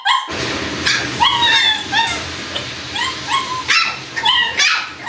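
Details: Squeaky whimpering from Shiba Inu puppies: a near-continuous chain of thin, upward-sliding squeals and short yips, closely spaced, riding over a low background rumble throughout.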